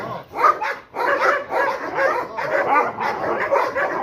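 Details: Rottweiler, once fearful of being touched or approached, attacking during guard-dog training: rough, harsh barks in quick bursts, some doubled, with short pauses between volleys and a trainer urging him on.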